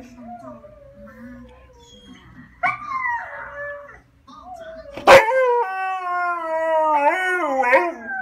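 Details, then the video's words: Siberian husky crying, with quiet sliding whines, a brief louder wavering outburst, then a sharp yelp launching a long harmonic cry that holds steady before breaking into short wobbling rises and falls. "Siberian husky is crying"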